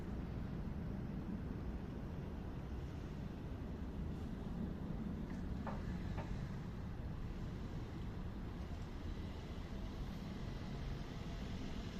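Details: Constant low engine-like rumble, as from a vehicle or train, with two brief clicks and no animal call.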